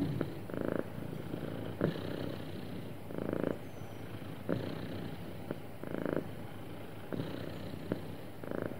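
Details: Happy domestic cat purring smoothly: a steady low rumble with broader bursts pulsing roughly every second or so, each swelling briefly then settling back into the continuous purr.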